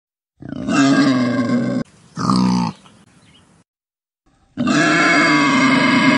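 A wild boar gives long, harsh, rasping grunts, with a brief squealing burst between them.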